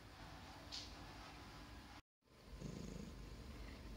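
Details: A grey Russian blue cat purring softly: a low, steady rumbling throb, broken by a short silence partway through, over faint background hiss.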